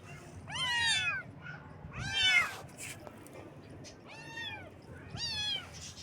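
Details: Baby kittens on their first morning call with four clear, bright meows, each arching up then sliding down, roughly a second apart with pauses, over faint background noise.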